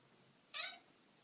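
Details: Pet cat talking to its people with a single short, bright chirping meow, quick and high, set against a quiet indoor background.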